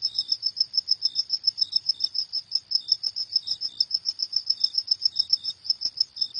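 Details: Night-time cricket calling in fast, even high chirps, roughly four per second, with an occasional softer, lower chirp from a second caller underneath.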